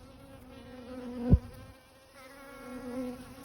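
A bee hums with a low, even drone carrying a rich stack of overtones. A brief knock interrupts it, the buzz drops away for a moment, then the humming picks up again.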